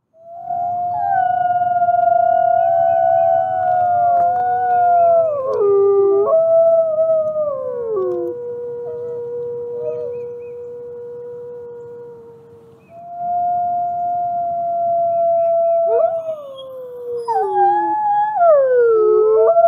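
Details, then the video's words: Nikai, a captive-born gray wolf and ambassador wolf at the Wolf Conservation Center in South Salem, New York, howls at sunrise: long, smooth, drawn-out tones that hold steady, then slide downward in steps, with brief pauses and rising glides near the end. "Nikai Howls to the Rising Sun"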